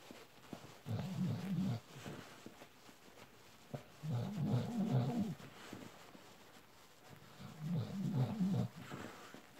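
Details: An adult Bull Terrier suckling on a panda plush toy makes low, grumbling bouts about a second long that return every few seconds.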